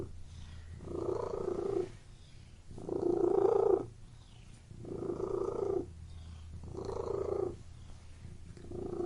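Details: Domestic cat in a room purring in a regular rhythm, about five rumbling phrases each near a second long, with soft pauses and a faint background hum.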